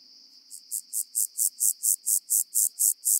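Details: Omocestus petraeus grasshopper singing on Cres, Croatia, on 13 July 2022: a fast series of about twelve even, hissing buzzes rising briefly in loudness, roughly four per second, over a faint steady high whine.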